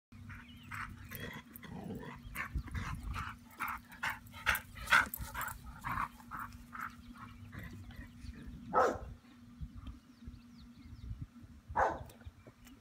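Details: Dora, a farm dog at Serenity Farm, barking at thunder she cannot locate: a long run of sharp, fairly even barks roughly every half second, then two louder isolated barks, over a steady low hum.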